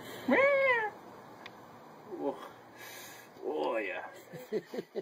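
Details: Domestic cat indoors giving a loud meow that swoops up then slides down, followed by a softer second meow a few seconds later, with a person talking and short knocks in between.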